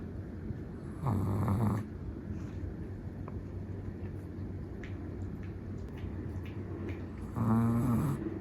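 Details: Deep sleep snoring from a black-and-tan Chihuahua: two clear rattling snores, one early and one near the end, separated by several seconds of soft breathing and steady low background noise.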